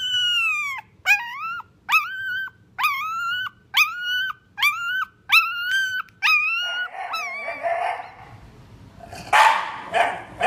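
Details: Shiba Inu dog giving a series of eight sharp, high yelping cries, each rising then bending down, roughly one every 0.7 seconds, then breaking into rougher, noisier whining and scuffling.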